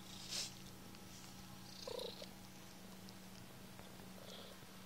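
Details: Kittens purring in a low, even drone, with a couple of short faint higher squeaks around the second second and a light hiss near the start.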